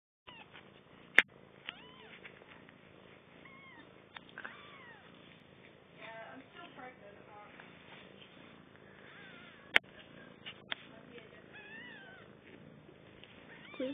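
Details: Three four-day-old kittens, a litter recently born to a household cat, give faint high squeaks and thin curving mews scattered through the recording, over soft background hiss, with two sharp clicks and brief voices nearby.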